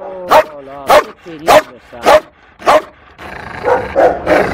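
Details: Frightened female Malinois held at an SPA shelter in Toulouse in April 2014, delivering five evenly spaced, ringing barks, followed by rustling and a human voice.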